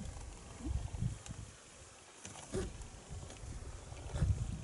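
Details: Spotted hyenas, a family with two teenage cubs resting by a road in Kruger National Park on June 30, 2017, give low, breathy snorts in short bursts that signal contentment.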